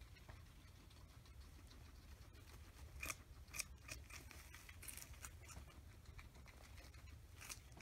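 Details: Two guinea pigs, Oreo and Buttercup, feast on an oversized cucumber over three days, hiding under fleece blankets between bites; crisp crunchy bites and nibbling clicks come in scattered bursts over a low, steady indoor hum.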